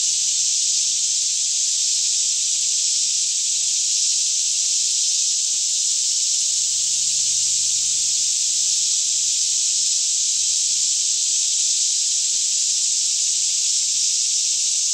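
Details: Daytime chorus of many cicadas in a green forest near Franklin, Kentucky, around 10am with still air, Canon 5D Mk2 stereo recording; a dense, continuous shrill buzzing wash holding level throughout, with no other clear sounds.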